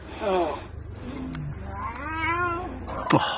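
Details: Lion cub crying for its mother: two wavering, harmonic wailing cries, the first brief and falling, the second longer and arching, with a sharp click near the end and people's voices around it.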